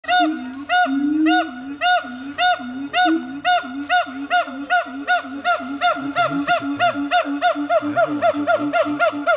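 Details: Siamangs howling at Dubbo zoo in New South Wales: loud, rapidly repeated arched whoops about three per second, layered over lower droning booms, the pace quickening and the calls growing more excited toward the end.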